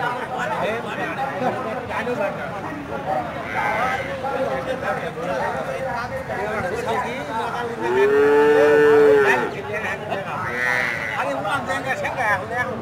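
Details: Cows, several animals together, one giving a long drawn-out tonal moo over a busy background of voices and chatter.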